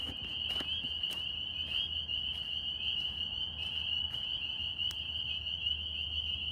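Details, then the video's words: Northern spring peepers calling in New York, a dense chorus of high, shrill peeps merging into one steady ringing tone, with scattered clicks and taps and a low background hum. "Tree frog sounds NY"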